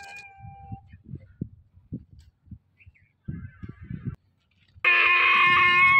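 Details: A young female donkey gives a loud, harsh, harmonic call, sadly calling for her mother, who left her to go with a male donkey and will not come back.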